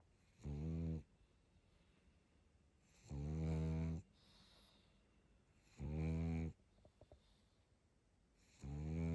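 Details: Sleeping pug snoring: low, harmonic-rich rasping snores of about half to one second, repeated roughly every two and a half to three seconds, with quiet breathing pauses between them.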